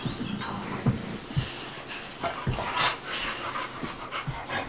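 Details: Panting during play between two dogs, Bubba, an American Bulldog aged two, and Ruby, a Dogue de Bordeaux puppy of five months: rapid rasping breaths with short sharp puffs.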